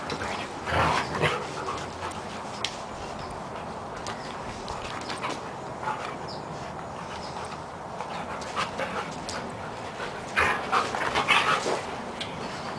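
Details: Two Siberian Huskies play fighting, which they do all day and night: rough, grumbling growls and vocal bursts come in irregular clusters, loudest near the start and again toward the end, over scuffling and panting noise.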